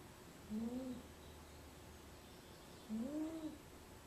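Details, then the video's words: Venus, a pet cat napping in a small basket, gives two soft whistling snores about two and a half seconds apart, each a gently rising-and-falling nasal tone over a quiet low hum. "Snoring Cat"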